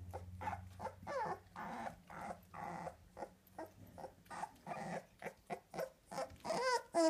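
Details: American Staffordshire Terrier puppies, two weeks old, from one litter, make busy overlapping whimpers and short grunts in quick bursts, ending in higher squeals, over a faint low hum.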